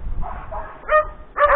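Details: Domestic dogs barking on seeing the horse as a hunter rides out on a beaver hunt; two short harmonic barks near the end after a muffled start with low rumbling background.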